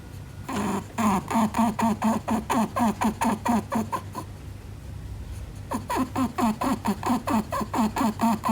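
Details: Pet Netherland Dwarf rabbit indoors, snorting through its nose as if marking territory: two bursts of rapid, regular, low grunting snorts, about two per second, separated by a brief quiet pause, with a steady low hum underneath.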